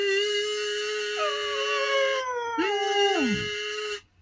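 A dog howls in long, wavering tones alongside a steady, buzzy kazoo note.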